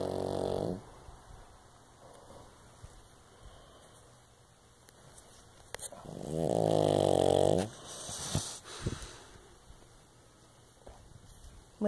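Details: Willow, a pug–Shih Tzu mix, sleeps indoors and snores loudly: two long, rasping, buzzy snores, one at the start and one midway, with soft breathing and small clicks between them.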